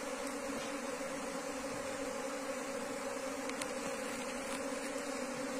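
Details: Asian honey bee colony taken from the wild and transferred into a beekeeping box: a continuous massed hum with a low, even pitch, a brighter overtone above it, and a few sharp ticks near the end.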